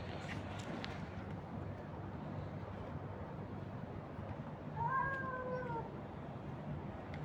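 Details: Stray cat being fed on the street, one short wavering meow near the end after several seconds of broadband street noise and low rumble.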